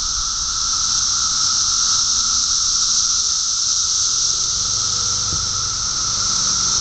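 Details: Massed 17-year periodical cicadas emerging by the thousands in Park Ridge, Illinois, produce a constant shrill, hissing chorus, steady and loud from start to end, with faint low background sounds late on.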